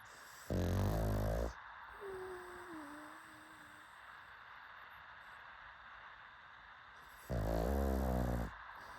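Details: Pugs snoring: two loud, low, rasping snores about a second each, near the start and near the end, with quiet breathing between and a faint thin whistling tone after the first snore.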